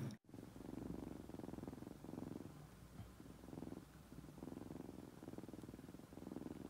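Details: Kitten raised by hand from nursing age and very fond of people, purring close up indoors: a soft, low, continuous rumble that swells and fades with each breath, roughly once a second.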